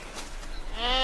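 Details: Sheep from a herd caught out in a snow storm, being led back through deep snow by shepherds; a single wavering, nasal bleat starts near the end after a stretch of windy, muffled noise.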